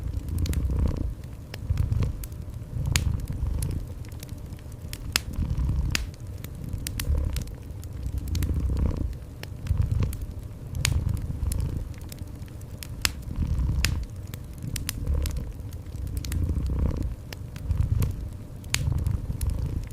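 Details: Cat purring in a cozy indoor ambience mix, a soft low rumble swelling and fading in cycles of about two seconds, with sharp, irregular fireplace crackles and pops over the top.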